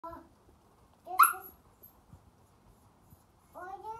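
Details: A red Siberian Husky puppy, four weeks old and among the biggest in his litter, gives short, tonal whining yelps, the last one sliding upward in pitch.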